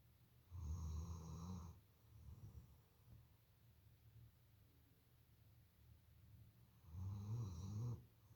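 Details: A female German Shepherd watchdog in deep sleep snores loudly, with deep rumbling breaths and quieter breathing between them.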